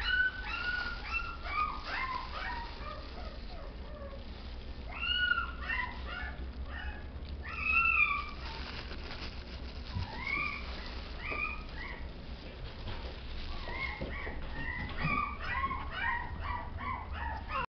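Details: Chihuahua producing many short whimpers and yips, some rising and some falling, in irregular clusters with brief pauses, over a constant low hum.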